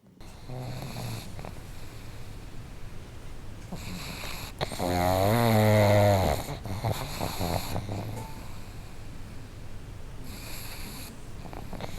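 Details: One of two pugs kept together snoring loudly: low rumbling breaths, then a strong nasal, tonal snort-like snore lasting about two seconds before the steady rumble returns.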